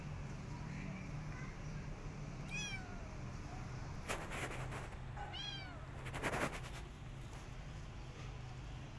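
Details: Rescued mother cat and kittens in a warm, well-fed home; several short high meows, two clearer ones spaced about three seconds apart, with bursts of rustling noise and a constant low hum.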